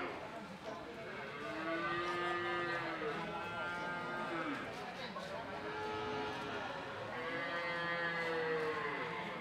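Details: Cattle at the Ambarketawang cattle market in Gamping, Yogyakarta: several long, drawn-out moos rise and fall in arcs, one after another, with people talking in the background of the busy market.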